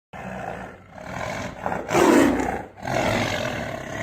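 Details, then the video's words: Tiger that has come out onto a road, roaring: a harsh, grainy roar swelling to a loud peak near the middle, with broad rough noise throughout. "सड़क पर आया बाघ//दहाड़ने की आवाज आप खुद सुने"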